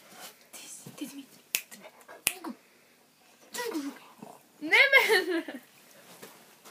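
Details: An Akita gives rising-and-falling moaning grumbles, ending in a louder, drawn-out yodel-like howl.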